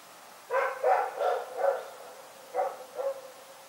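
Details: Rex, a dog, barking at night in a quick run of four barks, then a short break and two more, each bark brief and harsh.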